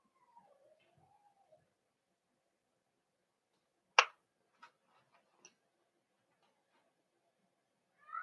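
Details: Cavalier King Charles Spaniel puppies in an indoor puppy pen during socialization with older dogs: a thin wavering whine sliding downward and then gently rising, followed by a sharp knock, a few faint clicks and another rising whine at the end.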